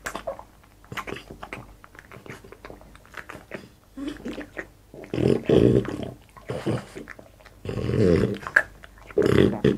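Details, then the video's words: Boss, a French Bulldog, eating in ASMR mukbang style: wet chewing and smacking in irregular bursts, loudest near the end, with brief low grunts, indoors in a small room. "ASMR MUKBANG BOSS FRENCH BULLDOG EATING"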